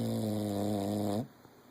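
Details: Napping English Bulldog gives a steady, droning low snore that stays level for just over a second, rises slightly at the end and stops abruptly, leaving near silence.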